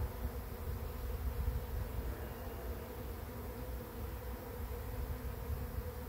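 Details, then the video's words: Arriving bee swarm at a swarm trap entrance, the fourth swarm caught: an unbroken mass drone of many bees, a single steady low buzz, backed by low rumbling noise. "Bee Swarm Arrives at Swarm Trap"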